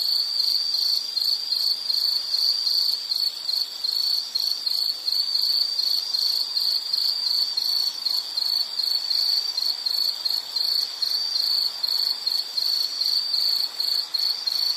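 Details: Nature background for studying or sleeping: an insect keeps up an unbroken high cricket-like trill, pulsing rapidly and evenly at one pitch, with quiet hiss underneath and nothing else clear.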